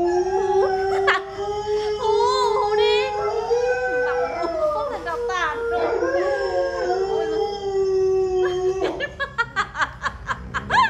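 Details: Pet Alaskan Malamute howling like a wolf after hearing a wolf-howl clip from the internet: one long, level howl lasting about nine seconds with wavering overtones, ending in a quick run of short rhythmic pulses.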